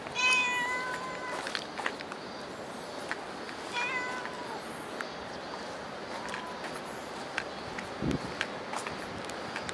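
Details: Cat meowing at Dockyard Garden early on the morning of 10 August 2016: a strong opening meow, a shorter one near four seconds and a faint final call, set against constant urban background noise and scattered taps.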